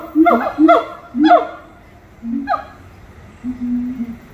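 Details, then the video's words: Monkeys singing at Little Rock Zoo: a few harmonic, rising-and-falling hooting notes in quick succession, then a lone sliding call and low steady hums, with quiet pauses between. "아름다운 노래 부르는 원숭이들"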